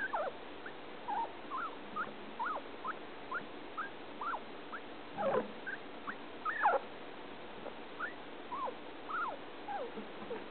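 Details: Male pet guinea pig, caged with another male, producing odd sounds while eating: a steady string of short, sharply rising then falling squeaks, roughly one every half second, with a brief rustling thump midway.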